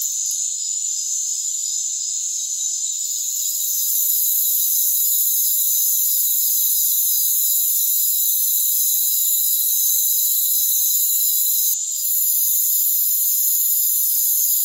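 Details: Crickets calling in a rainforest: a thin, even wall of high trills that strengthens after about four seconds and holds steady, interrupted only by a short dip near twelve seconds.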